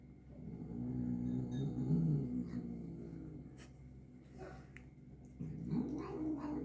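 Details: Angry domestic cat eating medicine gel, giving a long low harmonic growl that swells and wavers, rising into a louder moaning yowl near the end, with soft mouth and licking noises between.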